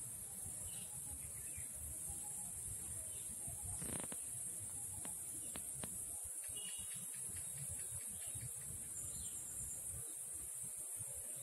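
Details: An Indian cicada, Huechys incarnata testacea, gives a steady, piercing high shrill that holds without a break.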